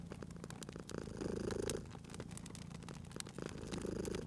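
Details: Domestic cat asleep near a crackling fireplace, giving a gentle, low purr that rises in two short swells, mixed with frequent quick crackling and popping from the burning fire.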